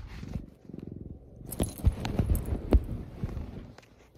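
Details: A pet cat named Stella purring, a low rumbling pulsed roughly twice a second, later mixed with rustling, clicks and handling noises close to the microphone.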